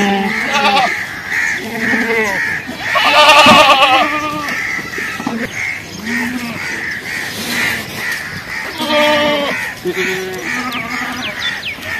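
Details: Goats, possibly young kids calling for their mother, bleat repeatedly in wavering, nasal cries over steady high background chirping.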